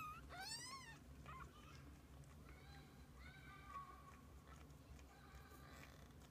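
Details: Kittens and a mother cat together; one loud, falling meow opens, then fainter, thin mewing calls follow over a constant low background hum.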